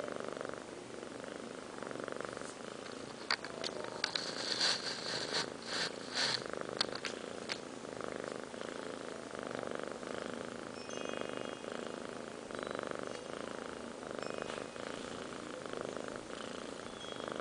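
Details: Liz and Taby, kittens aged five months, snore while asleep, their raspy breaths pulsing in regular waves about every second and a half, with sharp ticking noises in the first half.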